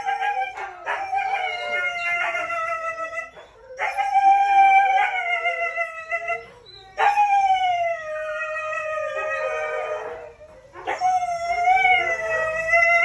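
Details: Red-brown Siberian Husky in a breeding context, howling in a run of sustained, wavering notes that slide gently downward, with brief breaks between each long howl.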